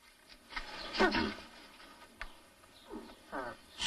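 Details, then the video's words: Mating nutria: a short, coarse, grunting cry, then softer, wavering, moaning calls, with rustling between them. "Nutria mating"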